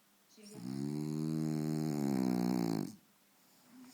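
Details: French Bulldog named Faro sleeping deeply in front of the TV indoors, one long rasping snore lasting over two seconds with a buzzy harmonic drone, then quiet breathing.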